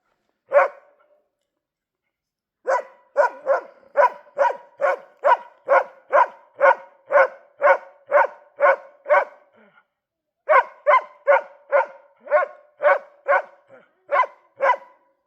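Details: Dog barking at a moose in winter: a single bark, a pause, then a long run of sharp, evenly spaced barks about two per second, a brief break, and another steady series; quiet background.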